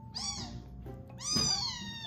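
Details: A newly rescued, hungry kitten, one of three weighing about 85–89 g and roughly one week to ten days old, cries loudly during bottle-feeding: two shrill, high-pitched meows, each sliding gently downward in pitch.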